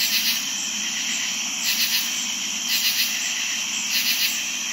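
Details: On a warm summer night, a dense chorus of crickets and some katydids sings a steady, high, shrill trill, with louder pulses swelling every second or so.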